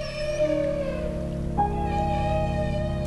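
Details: Alaskan humpback whales feeding cooperatively with bubble nets dive below herring schools and give a loud, sustained, trumpeting tonal call, rich in harmonics, that panics the herring.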